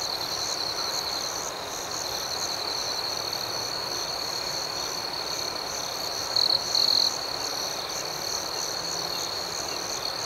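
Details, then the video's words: Crickets chirping at night: a constant high trill with a soft, rhythmic pulsing layer, and one short, louder double chirp just past the middle over a steady hiss. "Soothing Cricket Sounds"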